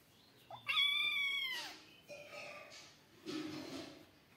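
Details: Loud, bright cat meow during kittens playing, two outside kittens before a cat and three kittens: a strong rising-then-level cry of nearly a second, followed by rustling, breathy scuffling noises.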